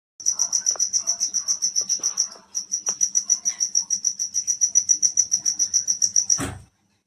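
An insect calls at night with a steady, high-pitched pulsing chirp repeated several times a second.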